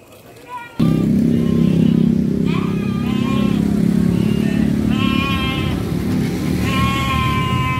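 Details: Three-month-old Garut sheep lambs being shipped to Purwakarta. Wavering, nasal bleats come in a string of five short calls over a steady low engine rumble, with a brief click and quiet murmur before the rumble starts.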